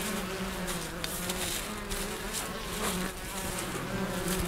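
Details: Spring hive of Western honey bees opened for a first inspection, colonies found healthy with brood and honey; continuous low droning hum of many wings, steady throughout with slight swells in loudness.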